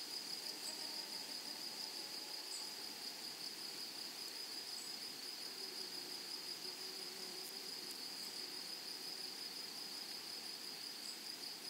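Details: Continuous shrill buzzing of grasshoppers in a flowering meadow, a level high tone sustained for the whole stretch, with scattered faint higher chirps and a soft rustling background.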